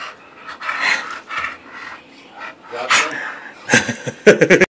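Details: Playful pet Bulldog on 20 August 2013, panting and snuffling with breathy wheezes, ending in a quick series of four or five short, gruff barking grunts; a person's voice is faintly mixed in.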